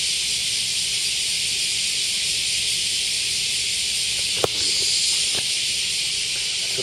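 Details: Cicadas in Japan in the middle of cicada season, giving a steady, unbroken, high, hissing drone that carries on through the whole recording, with a brief knock partway through.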